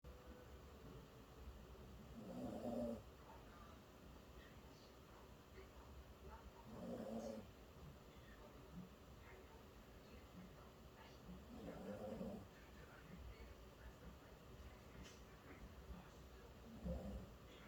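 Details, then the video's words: Poodle named Bonggu snoring while asleep, tired out after a walk; soft rasping snores repeat about every four to five seconds, each a short breathy rumble over a quiet indoor background. "봉구의 코골이.. 산책이 너를 고되게 한거니..."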